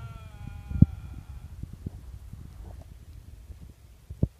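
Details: Wild Canada lynx at 11 pm near the Arctic Circle in the Yukon Flats of interior Alaska, captured on a smartphone at close range: one sustained, harmonic, wailing note lasting about a second and a half and sagging slightly, followed by low thumps and rustling handling noise.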